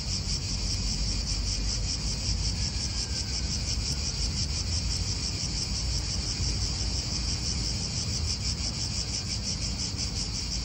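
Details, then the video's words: Cicadas in an Italian park, a dense continuous pulsing buzz high in pitch with a fainter band below, steady throughout, over constant low wind rumble and distant traffic. "italian park ASMR Cicadas wind real atmosphere in an Italian park birds"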